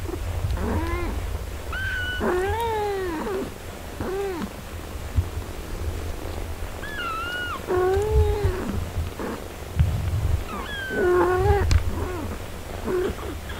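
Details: Domestic cat family, a mother nursing and caring for her four-day-old kittens: a run of high, arched, harmonic mews, about ten short calls rising then falling, sometimes in quick pairs, with a low rumble beneath throughout.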